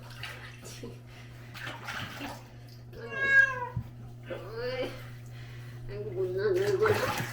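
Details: During a bath, Sol, the pharmacy cat of Hongdae, gives two loud, strained meows, one high and arching and one shorter and falling, then a low drawn-out moan. A person speaks, with a steady hum and splashing in the background.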